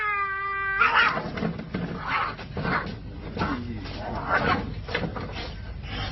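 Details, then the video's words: A steady yowl from a cat abruptly breaks into a fight: harsh, noisy screeches and scuffling bursts repeating about every half second in a small indoor room. "From Meow to Mayhem: How a Cat's Meow Escalates to Violence?"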